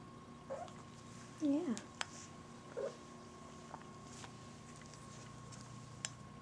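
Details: Buddy, a female house cat, meows indoors in a small room: one short meow, then a louder rising-and-falling meow, then a third brief one, with faint clicks and light background hum.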